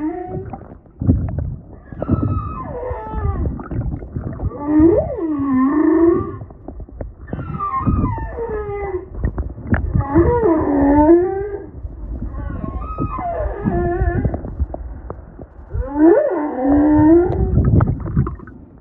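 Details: Humpback whales singing underwater off Maui, Hawaii, heard while kayaking; repeated moaning phrases with rising and falling swoops and whoops, each a few seconds long, over low rumbling water noise.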